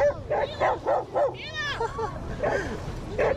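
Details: Loose off-leash dogs approaching a male at Lake Nacimiento bark in a rapid, uneven series of sharp, mid-pitched barks, broken by one higher rising-and-falling yelp, then more barks, over low outdoor rumble.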